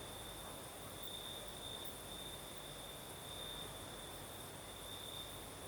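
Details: Crickets singing at night in southern Crimea with a night breeze; a steady, high, thin trill runs throughout, brightening in short stretches, over a broad soft hiss of wind.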